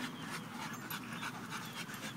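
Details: Pit Bull at a park panting rapidly and rhythmically, quick breathy pulses running through two seconds, with people talking close by.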